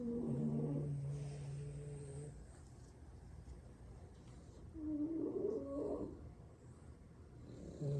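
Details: A French Bulldog sibling asleep on the floor after a long play session snores heavily: a long low rumble at the start, a short rasping snort near the middle, and another beginning at the end.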